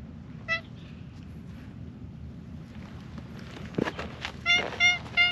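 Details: Friendly female calico cat, a stray on a mountain road in Japan, happy while being stroked. One short, bright meow, then rustling, then three quick meows in a row near the end.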